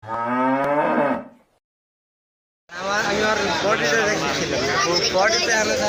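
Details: Australian cross cattle at the Postogola cattle market in Bangladesh during the 2024 Qurbani season give a low, harmonic moo of about one second, slightly falling. A pause follows, then dense, noisy market din with voices and music.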